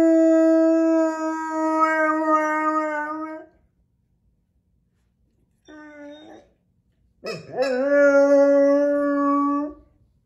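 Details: Male long-coat American Akita in Vaudreuil-Dorion, Quebec, Canada, on January 10, 2023, howls in response to his squeaking toy: a long sustained howl, a brief quiet note after a pause, then a sharply rising howl settling into a steady tone.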